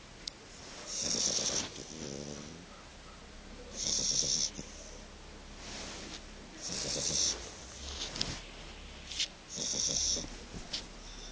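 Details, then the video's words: Fiona, a young Shar Pei puppy, snoring while asleep: slow rhythmic breaths with a raspy, hissing rasp on each inhale, roughly every three seconds, with quiet gaps between them. "Shar Pei Cachorro Roncando"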